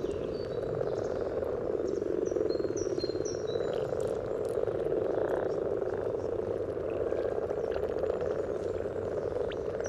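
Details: Common frog courtship chorus at a spawning pond by the yellow trail in Uppsala, Sweden, recorded with a parabolic microphone above the water: massed low, purring grunts running continuously, with a few whistled bird notes early on.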